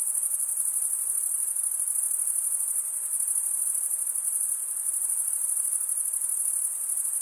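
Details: Continuous high-pitched shimmering drone from chirping crickets, the males stridulating with their toothed wing veins; a tight rapid pulsing runs through the steady tone, with no other sounds present.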